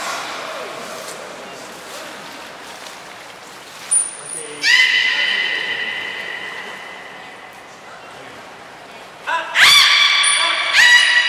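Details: Beluga training with Nana and Niko at Port of Nagoya Public Aquarium on 7 October 2018. A quiet stretch, then a long flat harmonic tone, and later a second sharp-onset rich tone, each near a piercing high whistle.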